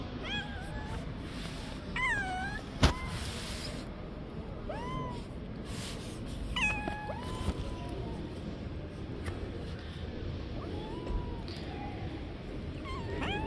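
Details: Street cats fighting, the smaller one slapping and hitting the older cat. Repeated bent, wavering meows come every second or two, some short and clipped, others drawn out, with one sharp knock and constant low outdoor hum.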